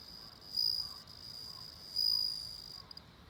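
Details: A bell cricket rings twice, each note a bright, sustained high tone about half a second long with a gap of over a second, then a couple of faint clicks at the end.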